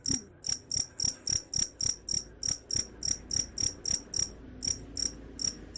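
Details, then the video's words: Cricket calling with sharp, high, ringing chirps at a quick even pace, spacing widening slightly toward the end; the sound is said to keep rats away. Soft low thuds sit in the background. "Suara Jangkrik _ Bisa Usir Tikus"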